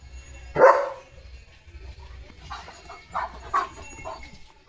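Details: Leo the German Shepherd, stirred up by a tractor passing the house, lets out one strong bark followed by a few softer, shorter barks, with low background rumble.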